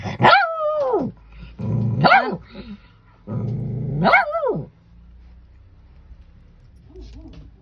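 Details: Female pet dog protesting angrily at being called for a bath: three loud, drawn-out howling barks that rise then fall in pitch, about every two seconds, with low growling between them, then quieter whines trailing off.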